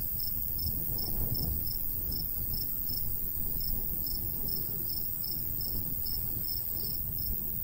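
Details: High, regular cricket chirps in summer countryside near golden wheat, pulsing rapidly with a short break near the middle, carried over a low rumble of light wind.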